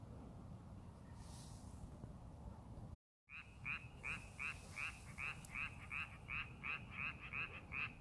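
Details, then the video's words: In a rice paddy being prepared for farming, only low rumbling background is heard at first; after a short dropout, a frog starts short, rasping croaks repeated about two to three times per second. "농사준비하는 논에서 개구리 울음소리"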